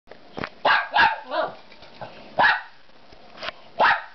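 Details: Pet dogs indoors waiting for dinner, giving loud, sharp barks in short bursts, about six in four seconds, some doubled, with a brief whiny yelp between them and quiet household background.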